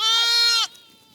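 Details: A lamb on a farm, among lambs running about, gives one loud, steady, strongly harmonic bleat lasting about two thirds of a second, then cuts off abruptly, leaving faint background music.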